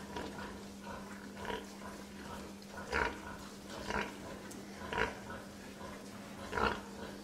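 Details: Pig grunting in short, nasal bursts about once a second, with pauses between, over a constant low electrical hum.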